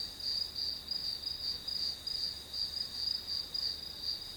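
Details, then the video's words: Grass insects calling continuously, used as white noise while studying; a thin, high-pitched ringing trill that swells in short, regular beats roughly three per second, over low, even background hiss. "풀벌레 소리"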